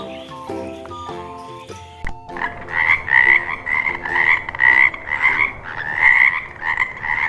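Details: Frog croaking in a rapid run of harsh, repeated pulses, each burst about half a second apart and steady through the clip, after a short stretch of music at the start.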